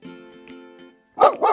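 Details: Dog giving two short, sharp barks in quick succession at the very end, after a stretch of soft instrumental background music.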